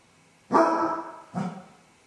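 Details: Basset hound left alone at home with separation anxiety, filmed by a camera while howling and whining for an hour; two loud, harmonic bark-howls, the first long and wavering, the second shorter and lower, in a quiet room.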